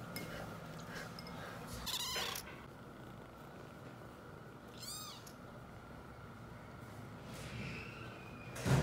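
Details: Weaned seven-week-old kittens crying over milk: scattered short meows, one clear arched cry midway and a fainter drawn-out call near the end, amid handling noises and a steady low hum.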